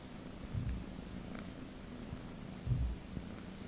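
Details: A domestic cat purring while being massaged: a soft, continuous low rumble with a few brief louder thumps and faint handling noise.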